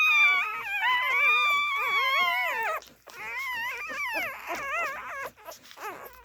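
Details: Siberian Husky puppies nursing whimper and squeal in high, wavering, quavering tones that overlap in a busy chorus.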